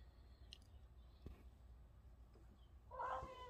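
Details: A male Siamese cat on his post, seemingly hearing or seeing something and in protect mode, gives one loud, harmonic meow after a quiet stretch of low background hum.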